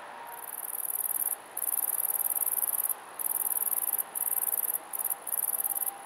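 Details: Male great green bush-cricket recorded on 02.09.2011, singing a very high, dry, continuous rattling buzz delivered in long bursts of about one second, each separated by brief pauses, with a quiet background.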